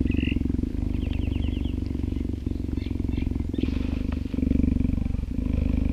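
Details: Dew, a 10-month-old female cheetah born at Cheetah Experience, purrs in a deep, steady, pulsing rumble while cuddling close to a man who talks to her, outdoors in an open yard on a summer day after rain.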